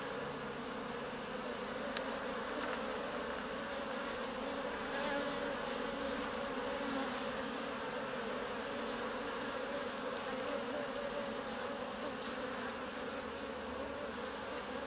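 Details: Close-up of honey bees as the first bumblebees show up; a constant swarm-like droning buzz, layered tones around the low-mid range, holding even in loudness for the whole stretch.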